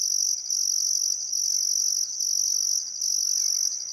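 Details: Australian crickets at sunset beside the Barcoo River, Welford National Park, Outback Queensland, on a still summer afternoon: a high buzzing trill pulsing in regular bursts with brief gaps, soft birdcalls faint in the background.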